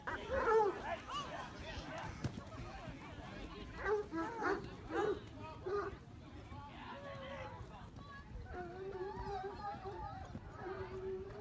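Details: Bloodhounds of the Readyfield hunt, out on Boxing Day 2018, give short wavering howls in bursts, then a long, steady, mournful bay near the end, while people talk and call loudly close by outdoors.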